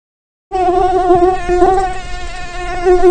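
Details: Mosquito buzzing: a steady, nasal, whining drone with a strong fundamental and many overtones. It holds a constant pitch for almost three seconds with slight wavering.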